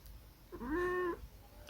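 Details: Munchkin cat giving a single clear meow of about half a second, rising briefly then held steady at a mid pitch with strong harmonics before dropping off at the end; quiet indoor background, with human speech just before and after.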